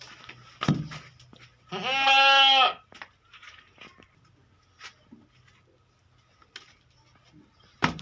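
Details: Beetal goat, one of three adult females on a farm in Hanumangarh, Rajasthan: a single strong, quavering bleat lasting about a second, set among scattered knocks and clattering farmyard noises.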